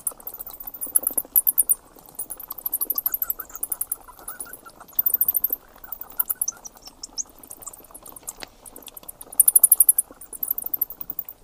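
Bats chatter with high, rapid squeaks and clicking pulses in uneven bursts.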